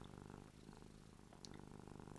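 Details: Purring indoors, Ruby the cat drools when happy. The coarse, low purr throbs steadily in even pulses, broken by a brief sharp tick near the middle.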